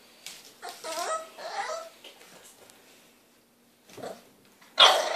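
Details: Three-month-old French Bulldog puppy indoors, impatient and wanting the hand brush: a run of rising, wavering whining yelps, a pause, one short bark-like yip, then a loud broadband rustling burst at the end.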